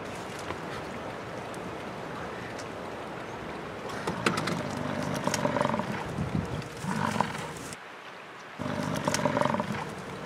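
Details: American bison fighting in Yellowstone National Park, Wyoming prairie, in summer, recorded on a Canon VIXIA HF G40. Deep guttural roaring bellows come in bursts, rumbling low with harsher upper tones, broken by a short gap, over steady outdoor background noise.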